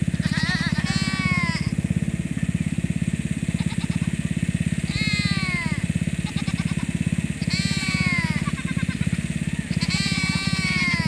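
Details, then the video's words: Nigerian Dwarf does in heat, calling to be put in with the bucks on a farm: loud, wavering, harmonic bleats, about five in eleven seconds, over a steady low pulsing engine-like drone. "It's so loud!! Nigerian Dwarf Does want to be with the boys!"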